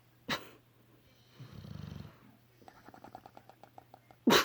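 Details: A sleepy bulldog gives one low, rattling snore, then a quick run of about a dozen small wet pops as its lips bubble, ending in a sudden loud noisy burst.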